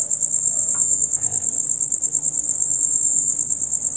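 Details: Rapid loud chirping by male crickets in their nightly concert: a sharp, high-pitched, rhythmically pulsing trill throughout, with a brief faint rustle near the start and quiet low background noise.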